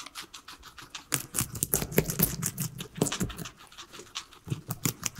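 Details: Three pet guinea pigs munching their veggies indoors, dense rapid crunchy bites in clustered bursts with brief pauses, no music or talking.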